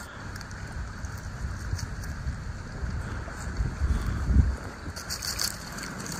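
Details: Outdoors, wind buffets the microphone with heavy low rumble, rustling and a faint murmur of speech; no animal calls are heard.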